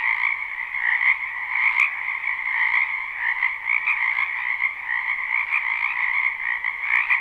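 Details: Dense chorus of many frogs in a spring wetland behind a house, recorded live at night without looping; continuous overlapping trills and croaks form a steady band with a higher layer, no pauses, one faint click.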